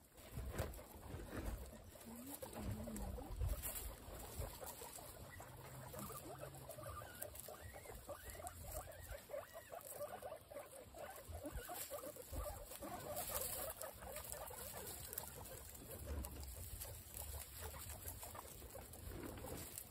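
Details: Several of a group of 26 female guinea pigs eagerly eating apple: soft crunching and rustling throughout, with faint, low wavering squeaks rising and falling in the middle stretch.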